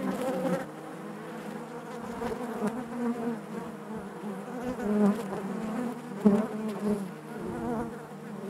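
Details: Steady drone of honey bees in the hive, a dense layered hum that rises and falls in loudness, with a sharp close buzz flaring near six seconds.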